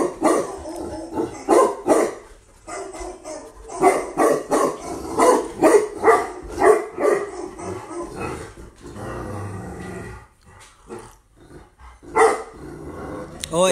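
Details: Female Tibetan Mastiff imported from Russia, barking in an uneven, long series of deep barks with short gaps, some rougher growly sounds, and a quieter stretch near the end.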